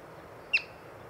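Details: A single short, piercing whistled chirp from a yellow-bellied marmot, seen during a birding outing, standing out against soft background noise.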